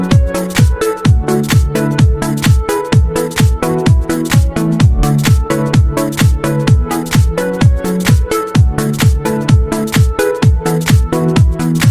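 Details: Loud electronic dance music with a steady four-on-the-floor beat and repeating synth chords throughout, no animal voice.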